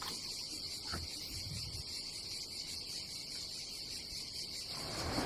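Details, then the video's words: A dense cicada chorus fills a Croatian seaside campsite in summer, a loud, even, shimmering buzz with fast rhythmic pulsing, almost uninterrupted apart from one soft knock and rising rustle at the end. "Silent ASMR vlog with nature cicadas sound"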